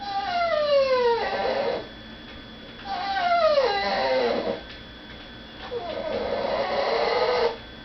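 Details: Pet dog crying indoors, kept from begging at the dinner table while people eat in another room; three long tonal whines, each falling in pitch and ending in a lower wavering tail, separated by short pauses.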